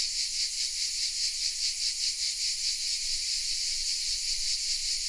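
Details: Chorus of cicadas in the trees of a small southern French village, a harsh, high, hissing drone that swells and fades slightly several times a second, constant throughout.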